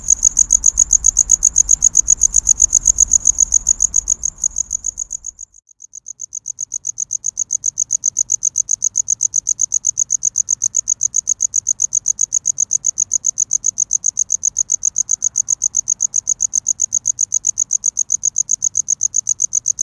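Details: Cricket chirping while wooing a mate: rapid, shrill, high pulses that break off for about a second, then return cleaner and steady against near silence once a low background noise drops away.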